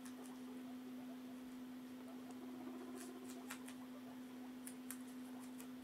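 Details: Pet guinea pigs Cinny and Mochi at mealtime, Mochi not hungry and eating little; scattered sharp crunches and nibbling clicks, loudest in the middle and near the end, with a constant low hum beneath.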